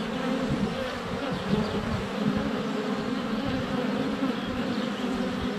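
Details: Honey bees in flight at a hive entrance on a sunny February day, recorded up close with a GoPro Hero 7 Black: a dense, steady buzzing drone with overlapping wingbeat hums, continuous throughout.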